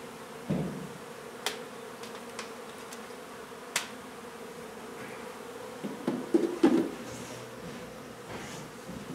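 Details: Hive of honey bees being relocated from an old home in Donna, Texas, during renovation; constant droning buzz under knocks and thumps, with a louder cluster of bumps near the end.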